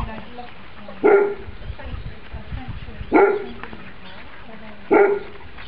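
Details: Female Labrador cross foster dog, born around January 2008: three single sharp barks spaced about two seconds apart over a steady low background hiss.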